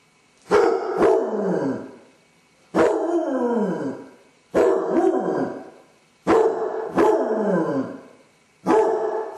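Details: Basset Hound with separation anxiety, filmed by a home camera while alone, baying in long drawn-out howling barks that slide downward, repeated about every two seconds, five in a row.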